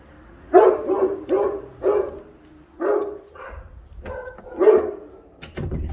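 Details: A dog left on a balcony, where it barks for hours on end, gives sharp mid-pitched barks roughly every second, some in quick pairs.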